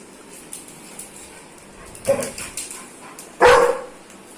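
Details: An aggressive Dobermann gives two sharp, harsh barks about a second and a half apart.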